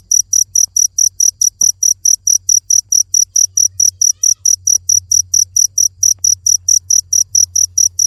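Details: Steady high-pitched cricket chirping runs throughout, roughly 37 short bright pulses in quick regular succession over a soft low rumble, with one brief click near the start.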